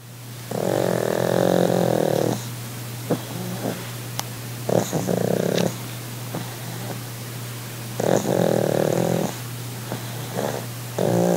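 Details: Sid the pug, relaxing on holiday, gives over-the-top purring: rasping, snore-like breaths in long bursts of about two seconds, with shorter snorts between them, over a steady low hum.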